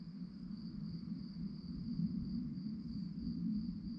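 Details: Crickets chirping at night: a steady, high, finely pulsed trill that runs unbroken through the clip over a constant low rumble.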